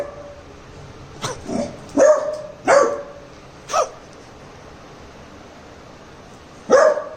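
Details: Labrador puppy Cherry in Jaipur, under a prank testing whether it protects, lets out a quick run of four or five yappy barks, falls silent for nearly three seconds, then barks once more.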